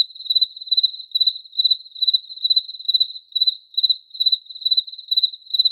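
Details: Cricket chirping: a steady, high-pitched, pure-toned trill broken into short pulsed bursts, about two to three bursts per second, with no other sounds.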